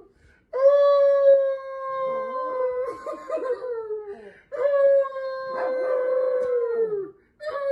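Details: Two long, sustained howls from Chihuahuas, each lasting about three seconds. The pitch holds level and then sags at the end, with a faint second voice wavering underneath.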